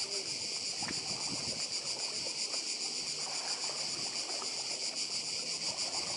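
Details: On Croatia's Badija island, cicadas keep up a constant, piercing high-pitched drone with slight pulsing, over quiet sea noise and a few faint low clicks and hums.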